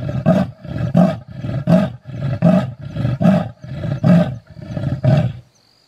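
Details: A male leopard calling at Londolozi, South Africa, gives a deep, rasping sawing call, a steady run of hoarse grunts like a saw through wood.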